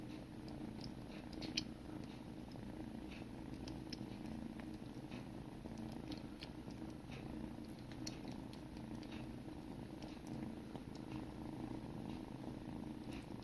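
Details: Sibling kittens in a grooming session purr with a constant deep rumble, while small licking clicks sound repeatedly.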